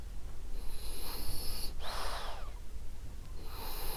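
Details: Gentle wheezing snore of sleeping female French Bulldog Ariva, one long breathy rasp with a faint whistle, followed by quieter airy breathing.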